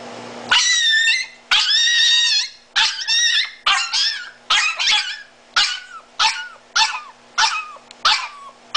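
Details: A disabled, blind Miniature Italian Greyhound screaming for its mommy. It gives a burst of about twelve shrill, wavering, yodel-like yelps, each under a second long. They start long and drawn out, then turn shorter and sharper, with brief gaps between them and a steady low hum behind.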